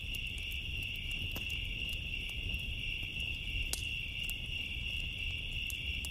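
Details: Crickets chirr steadily through a summer night, a thin high pulsing tone without pause, as bonfire wood pops and snaps now and then over a deep, soft hiss of flames.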